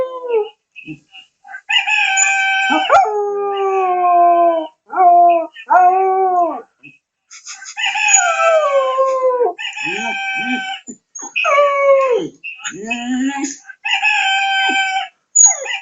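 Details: A Cocker Spaniel named Chuchu howls repeatedly, with drawn-out harmonic notes that slide downward in pitch and come in bursts of one to two seconds, separated by brief pauses.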